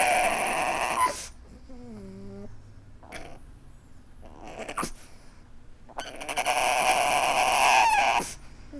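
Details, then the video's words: Weeping pug gives a drawn-out whimper that slides downward in stacked tones, framed by loud, rough, snorting breaths before and after. "Adorable Pug weeping"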